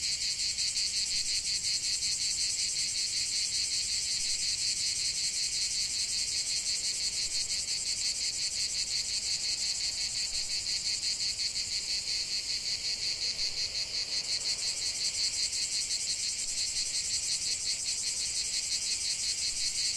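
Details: Chorus of cicadas in a lavender field, an unbroken shrill buzz with fast regular pulsing, nearly three pulses a second, holding steady for the whole stretch; nothing else audible.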